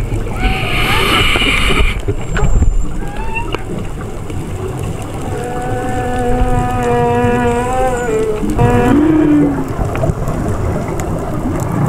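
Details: Long, mournful whale song notes with rich harmonics, heard underwater during a dive, sliding slightly and ending in a rising whoop.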